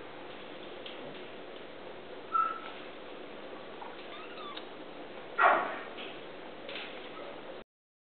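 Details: Kittens at the pound give short, sharp meows near 2.4 and 5.5 seconds, then a fainter one near 6.8 seconds, over a steady background hiss in an enclosed space.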